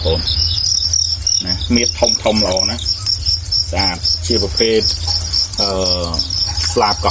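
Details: Farmed crickets raised for breeding in Prey Touch commune, Moung Ruessei district, Battambang province, Cambodia; steady high, rapidly pulsed chirping runs throughout while a man talks loudly over it.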